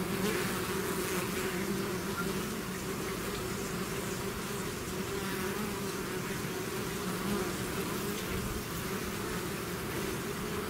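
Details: Swarming bees emerging from a hive produce an even, continuous buzz, a broad low hum with faint higher hiss, no breaks across the stretch.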